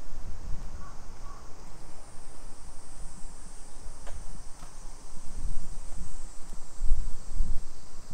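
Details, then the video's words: Summer cicadas along suburban streets of Nisshin near Nagoya, Aichi Prefecture, Japan, at 2 PM on 28 July 2021: a steady, high, hissing drone runs throughout, over low rumbling outdoor noise with a few faint clicks. "Summer Cicadas Sounds"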